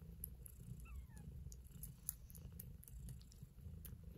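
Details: Purring of a kitten as it eats, low and steady throbbing rumble with light ticking and chewing sounds above and a short faint squeak early on.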